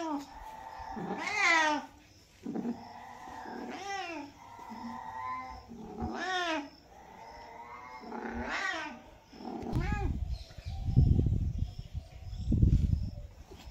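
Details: Domestic cat giving several long, wavering meows roughly every two to three seconds, mixed with low rumbling handling or thumping noises toward the end.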